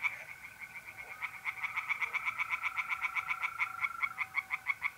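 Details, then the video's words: Tree frogs singing by night in a pond in north-east Italy in mid-April: rapid, regular pulsed croaks strung into fast trains, with a steady high trill of mole crickets running underneath. "relaxing singing tree frogs in pond and trilling mole crickets by night"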